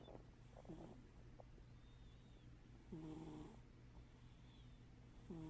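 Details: Sleeping pet cat snoring with one eye open: low rasping breaths repeat roughly every two and a half seconds, the loudest near the middle, with a constant low hum behind.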